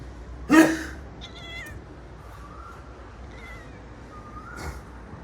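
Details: Pet cat frightened by someone sneezing: a sharp short cry near the start, then faint thin meows and a second brief burst near the end, with a woman's voice and background music around it.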